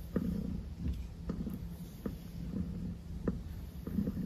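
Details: Maple, a pet cat who won't let the petting stop, purrs in a low, steady rumble indoors, broken by soft tapping clicks about every second.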